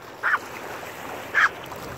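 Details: Two separate short, shrill yaps, about a second apart, from the Maltese Owol-i against a low, steady rushing background.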